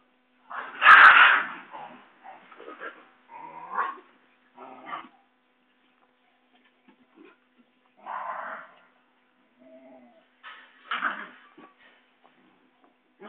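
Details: Playful Basenji puppies in Saraburi, Thailand, dated 6/02/2011, running and play-fighting on the way to their mother: one loud opening yelp, then scattered shorter whines and yips with quiet gaps between them.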